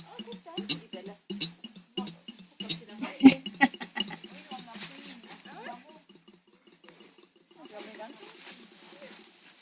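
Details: Five-week-old Labrador Retriever puppies playing in a garden: a busy run of short, wavering growls, yips and whines, often overlapping, sometimes several per second, with scuffling and knocking noises between them.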